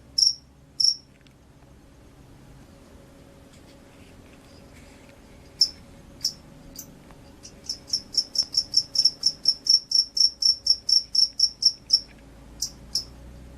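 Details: Field cricket (jangkrik sawah), described as gacor, a vigorous singer: scattered shrill chirps at first, then after a quiet pause a steady run of high, ringing chirps about four per second, over a faint low hum.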